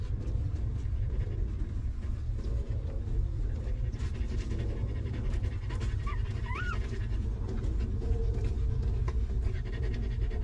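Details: Panting from a stray mother dog sheltering her puppies in a rough place; rapid airy breaths run throughout, broken near the middle by two short rising whines, all over a heavy low background hum.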